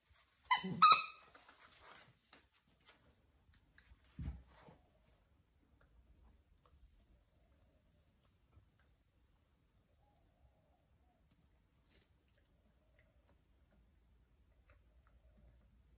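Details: A 13-week-old corgi puppy playing with a friend on 12 September 2021 gives a burst of high, sharp yips and barks, then goes mostly quiet.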